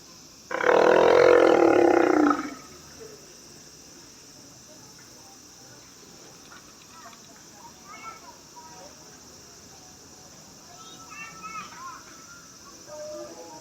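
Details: South American sea lion at Himeji Zoo, Japan, giving a call that sounds like a lion's roar. One loud, hoarse roar lasts about two seconds and then stops abruptly. Quieter, faint background sounds follow.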